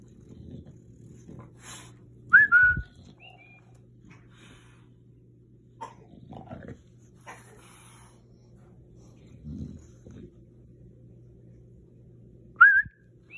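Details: Bulldog named Murph reacting to a talking cactus toy, giving two short high whimpering whines that rise then dip, about ten seconds apart, with soft shuffling noises between.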